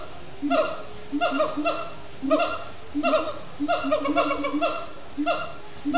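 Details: Siamang gibbons singing at sundown at Disney's Animal Kingdom after brief frenetic play: rapid bursts of harmonically rich, barking and whooping notes in clustered phrases, repeated roughly every half second to second with short pauses.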